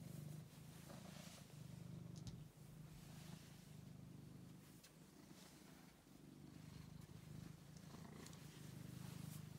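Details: Low continuous purring from Angelus, a friendly rescued male house cat, the rumble pulsing in breath-length phases with short dips between them and light rustling in the background.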